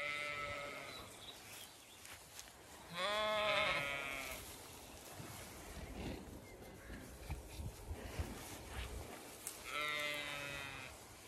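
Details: Zwartbles ewes and lambs on a regenerative farm in County Kilkenny, Ireland, on a hot May day, some resting in shade, others grazing or going for water; three wavering bleats at start, near four seconds and near ten, with soft field noise between.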